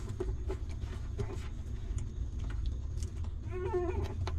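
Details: Hungry newborn puppy of a stray mother dog, nursing on her milk; soft wet suckling clicks over a low rumble, then one short rising-and-falling whimper near the end.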